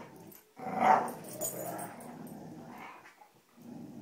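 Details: Playful growling from dogs Cujo, Kali and Lilly during a rope tug game indoors: a sharp loud rumble starting after a short silence, then a sustained lower grumble fading out and resuming briefly at the end.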